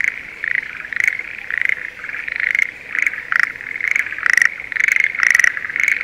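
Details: Breeding Schlegel's green tree frogs in spring paddy fields outside Sendai, Japan, giving quick rattled pulses, several overlapping callers trading bursts at irregular intervals above a constant droning frog chorus.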